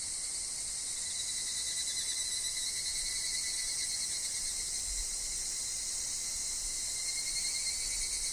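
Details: Evening cicadas (higurashi) singing in woods alongside wind and falling leaves; an unbroken, piercing high drone of stacked tones holds at an even level throughout, with a faint pulsing texture in the top band.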